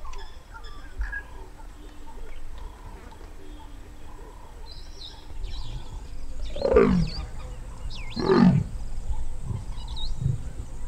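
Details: Large wild male leopard in Botswana's Moremi Game Reserve calling near Dead Tree Island before mating; two harsh, rasping low grunts around six and eight seconds, with faint bird chirps and insect hum in the background.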